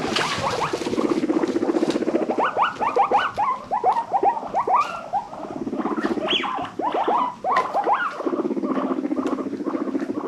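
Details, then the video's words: Pet guinea pigs from a rescue-adopted herd, happy wheeking: rising squeaky calls sweeping upward in quick bursts over a steady low rumbling purr that starts and stops. "Best guinea pig noises of the wheek!"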